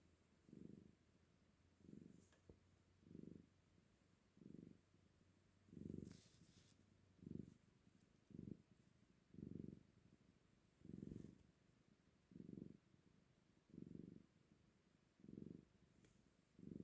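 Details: Cat purring, soft and quiet; a low rumbling purr in steady pulses, each breath cycle lasting about a second and repeating roughly every 1.3 seconds, with faint room noise.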